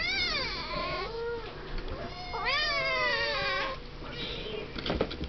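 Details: Siamese kittens seven weeks old in a pen; two long, strong meows, the second rising sharply then sliding down, followed by softer calls and scratchy movement sounds.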